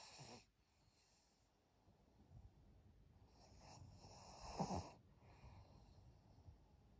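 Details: Senior fawn female Pug Maria, aged 12, kept as a pet in Japan, snores at 21:52 on 12 April 2023: a soft rasp, a quiet pause, then a louder snorting, wheezy breath near the end.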